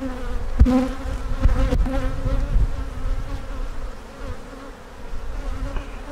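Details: Honey bee colony humming as frames are checked during a hive inspection that turned up several queen cup cells; a steady pitched drone with a couple of sharp knocks early on, easing slightly midway before rising again.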